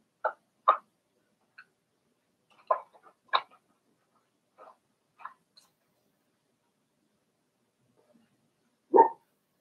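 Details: Daisy's Cavalier King Charles Spaniel puppies, four weeks old, in an indoor pen let out sharp little yips and squeaky barks, some doubled, spaced irregularly with silence between, one fuller yelp at the end.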